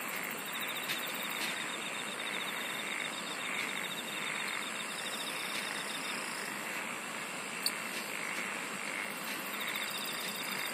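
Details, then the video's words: A dense insect chorus: steady high pulsed trills layered in several bands, a continuous shrill buzzing over a soft broadband hiss, with a brief click near the eight-second mark. "SINGING OF INSECTS"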